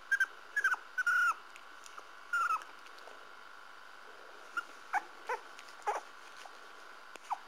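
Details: Parson Russell Terrier puppies give high, thin squeaking whimpers, several short bursts in the first few seconds, then scattered softer yelps, over a steady faint background hum.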